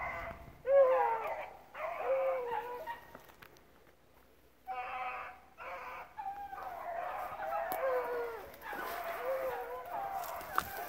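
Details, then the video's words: Rabbit-hunting dogs, a mixed pack including pups, running rabbits at a hunt club; bursts of overlapping howling bays separated by short quiet gaps, with faint distant voices between. "Running rabbits at Relay Hunt club"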